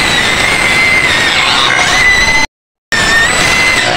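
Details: Penned white pigs near Medan, Indonesia, screaming nonstop: a loud, strained, high-pitched wail held steady, broken by a short silent cut, then resuming just as intense.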